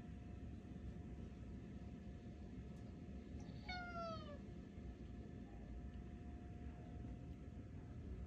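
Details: Tuxedo cat talking to its owners: one drawn-out meow, rich in harmonics, that slides downward over about half a second. A steady low hum fills the background.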